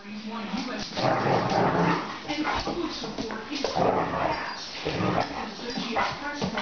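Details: Two dogs, a 50 lb female pit bull named Coco and a 200 lb male mastiff named Tank, wrestling in play on a slick laminate floor; rough growls, snorts and whimpering yips under a person's encouraging shouts and scuffling.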